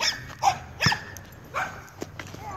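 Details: Jake, a 7-month-old Weimaraner being trained, lets out a few scattered barks and yips, with faint human voices in the background.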